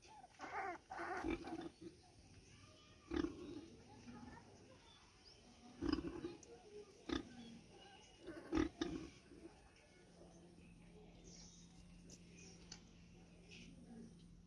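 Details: Street pig with her piglets making scattered short grunts and snorts, several close together, with a low steady hum running underneath.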